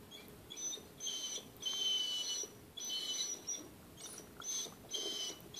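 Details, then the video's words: Dodger, a pet hound that cries when he wants his walk, his food, or to go outside or come inside, gives high, thin, whistle-like whines in bursts of about a second, repeated several times with short pauses, over a quiet indoor background. "Hound Dawg Cries All the Time"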